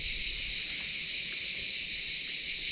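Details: Cicadas sing loudly in a continuous, high-pitched buzzing drone along France's Atlantic coast during a bike trip.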